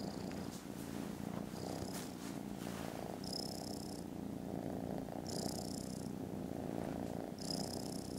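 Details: Kittens in foster care, snoozing contentedly after lunch on Friday 18 December, purr with a loud, rhythmic low rumble, while bright high chirping bursts recur about every two seconds above it.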